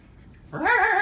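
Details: A 3-month-old female Siberian Husky gives a brief, tonal, wavering call that rises sharply then wobbles, after being pestered back following her own aggravating of other dogs.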